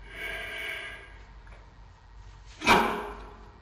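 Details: Giant panda cub Xiao Qi Ji, a male almost four months old, lets out a loud, feisty bark: one sharp, noisy burst after a softer, breathy stretch, in a small indoor space.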